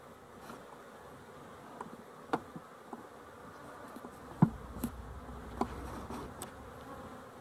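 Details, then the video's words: Honey bees, dated 12-11-23, humming in a dense continuous buzz, punctuated by scattered taps and a louder thump midway. "Honey Bees for Fun"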